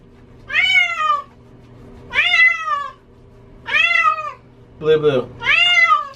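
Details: Female house cat being bathed and hating the water, calling with four loud, arched, drawn-out meows about every one and a half seconds; a brief human word breaks in between, over a low hum.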